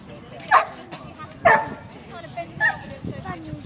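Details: Dog at a dog contest in Finsbury Park, giving three sharp, loud barks roughly a second apart, with people talking throughout in the background.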